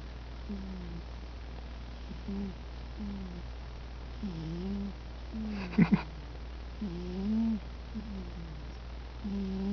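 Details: Mitty the cat asleep and snoring: soft, wavering nasal tones repeat roughly every second over a steady low hum, with one brief louder rustle midway.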